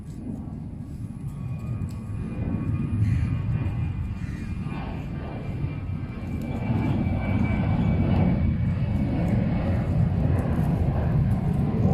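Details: A steady, deep roar of a passing aircraft fills the whole stretch, with no clear animal calls above it.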